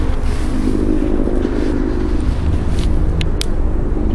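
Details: Loud steady wind and engine-like rumble outdoors fill the recording, with only a few faint ticks and no animal voice.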